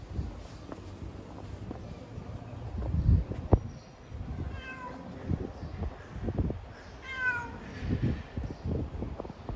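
A female domestic cat in heat gives drawn-out, wavering meows to call a mate, over low rumbling noise.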